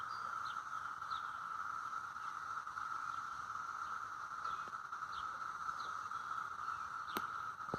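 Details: A steady, droning chorus of cicadas mating in neighbourhood trees hums without a break, with faint chirps above it.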